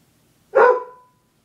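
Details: Single loud, abrupt bark from a female dog that jumped onto a chair and would not jump down, calling for help; the bark carries a brief ringing tone that fades within half a second, followed by silence.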